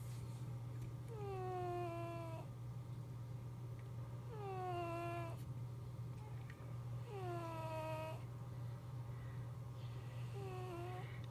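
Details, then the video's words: Comfortable sleeping cat snoring: repeated whistly, falling nasal tones roughly every three seconds, four in a row with the last one shorter, accompanied by a constant low hum in the room. "Mister snoring"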